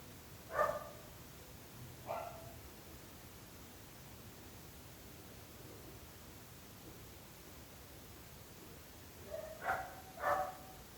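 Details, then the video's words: Barking dogs that disturb the neighbours: two short harmonic barks early on, then a long quiet stretch over steady background hiss, then a close pair of barks near the end. "26 minuts gossos lladrant / 26 minutes barking dogs"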